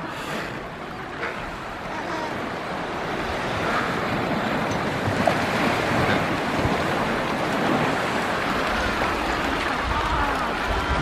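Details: Steady surf and wind roar throughout, with no clear animal calls standing out.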